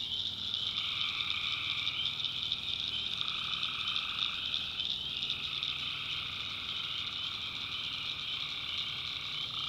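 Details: Many tree frogs trilling together after dark in a North Carolina backwoods swamp, a constant high-pitched chorus with a lower layer of calls that stops and restarts in bursts across the clip.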